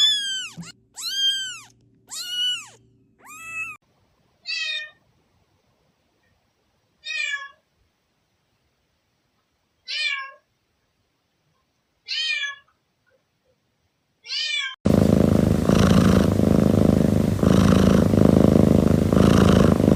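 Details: Kittens meowing: a quick burst of four loud, arching meows, then single thinner mews spaced every two to three seconds, ending in a loud stretch of broad, steady background noise.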